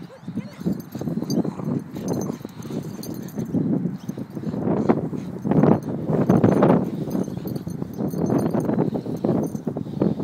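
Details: Black and brindle Staffordshire Bull Terriers, almost four years old, tugging against each other in play; a long, dense, throaty growl swells and surges over several seconds, peaking in loud grumbling bursts midway.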